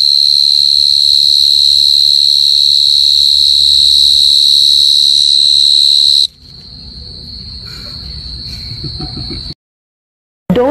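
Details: A cricket at deep night trills continuously on one high, piercing pitch, a fast even pulsing that blurs into a ringing tone; partway through it drops quieter and cuts off briefly.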